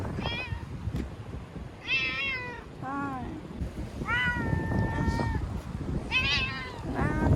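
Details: Frightened ear-tipped community cat in Okinawa, caught and sheltered in a bathroom from Typhoon No. 10, September 2020, crying loudly: a series of drawn-out meows, some wavering and falling, others level and long, over low room rumble.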